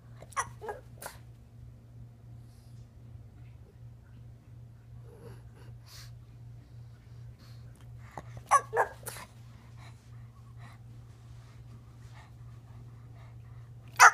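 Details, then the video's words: April, a female pug, fresh from a shave and a bath and acting wildly, gives short scattered snorts and sneezes with quiet gaps between them over a steady low hum. "Crazy pug!!"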